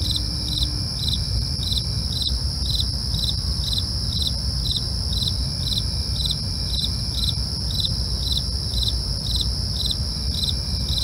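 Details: Night crickets chirping in high, evenly spaced pulses, roughly two per second, layered over an unbroken high-pitched ringing drone, a deep rumble underneath and a few faint clicks.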